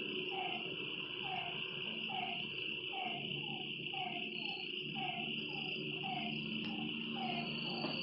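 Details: Frogs at a lakeside at night give brief dropping notes in a regular series, roughly two per second, while a constant high insect whine runs beneath.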